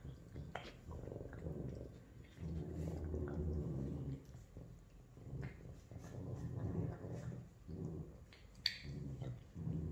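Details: Female Savannah cats, F1 and F2, meeting each other during an introduction; bursts of deep, pulsing purring swell and fade in waves, broken by short pauses, with occasional sharp clicks and soft handling noise.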